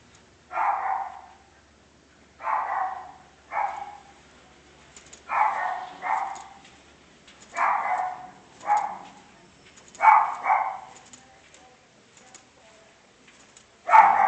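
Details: A dog barks in short, harsh bursts, often in pairs, about a dozen barks over fourteen seconds with quiet gaps between them.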